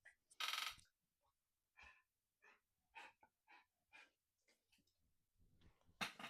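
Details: Lyla, a big Bernese Mountain Dog lying beside her owner in a small indoor painting space, breathes heavily in soft, airy, wheezy puffs, repeated about once a second.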